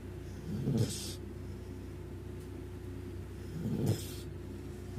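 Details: Dog snoring loudly, with snores described as those of a big dog: two low, rumbling snore breaths about three seconds apart, each ending in a short breathy rasp, over a steady low background hum.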